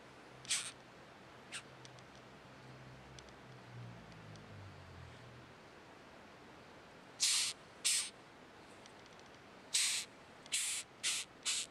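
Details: A ヒメカブト rhinoceros beetle sitting on a hand, squeaking continuously: short hissy, high-pitched scraping bursts, a few early and then a quick run of six from the seventh second onward, with faint low handling rumble before them.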